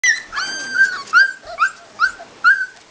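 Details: Labrador Retriever puppies three to four weeks old, unhappy because their mother is outside, whimpering indoors: high, wavering whines that rise and fall, coming in short bursts roughly every half second with brief gaps.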